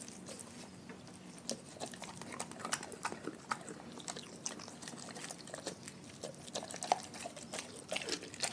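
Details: Dogs from a pack fed on raw food, chewing and biting: rapid, uneven crackling clicks and soft smacking, a sharp crunch near the seventh second, in a small quiet room.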